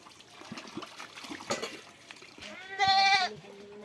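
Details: Goat bleats once, a short quavering cry near the end, while it is handled during lice treatment; before it come soft splashing, shuffling and scattered knocks.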